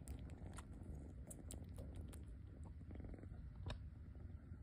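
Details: Rescued kitten sucking on its own paw pad at home, giving soft wet smacking clicks at irregular short intervals over a steady low rumbling, purr-like hum.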